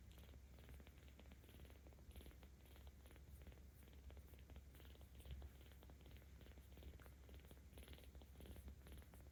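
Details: Kitten aged 17 days in Tama City, Tokyo, purring louder as it is stroked, recorded 10 October 2022; continuous deep, even rumble with fine rhythmic pulses and light handling noise.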